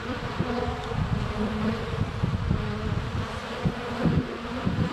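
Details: Honey bees swarming in flight at a hive entrance on a sunny February day, filmed up close with a GoPro Hero 7 Black: a dense, continuous low droning hum with fluctuating wingbeat tones, some bees brushing the camera.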